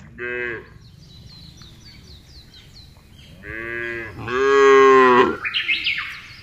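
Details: Cattle in a large herd being driven across a wide grassy pasture: separate harmonic moos, one short, then two longer and louder bellows, with faint bird chirps in the background.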